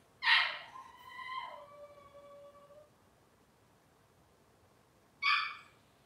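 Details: Robin's litter of Cavalier King Charles Spaniel puppies on an indoor kitchen cam, one long whine starting sharp and sliding into a drawn-out falling tone, then a second short high yelp after a pause.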